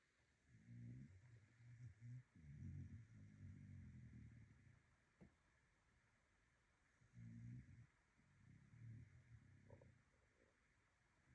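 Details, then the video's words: Dog snoring: quiet, low rumbling snores in bursts of a second or two, with gaps of silence between breaths. "a dog snoring"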